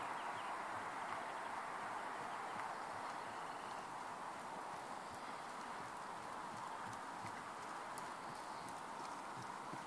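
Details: Ferozza, a horse born in 2009, moving along with steady rapid clip-clop hoofbeats, roughly two to three strikes per second, over a constant broad background hiss.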